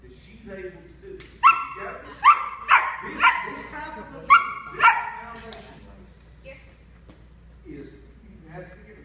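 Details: Havok, a 9-week-old German Shepherd puppy, during a 2014 obedience training session of sit, platz, hier and fuss commands: six sharp, yapping barks in quick succession over about three and a half seconds, then quieter sounds, with human speech throughout.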